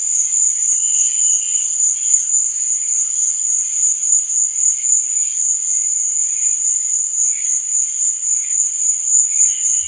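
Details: Crickets chirping at night: an even, piercing high-pitched buzz fills the whole stretch, and faint lower chirps surface now and then, most clearly near the start and the close.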